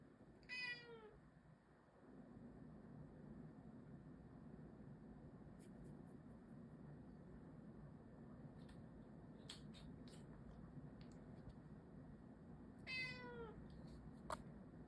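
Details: Domestic cat making a strange sound indoors; two short rising-then-falling chirpy meows about twelve seconds apart, faint clicks between, over a loud constant low hum.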